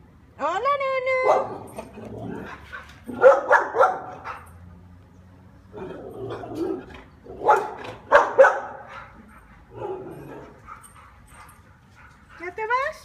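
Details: Kiefer, the neighbour's dog, who is alone all day and visits wanting to come and play: a rising harmonic whine opens, followed by bursts of rough barking mixed with people talking in Spanish throughout.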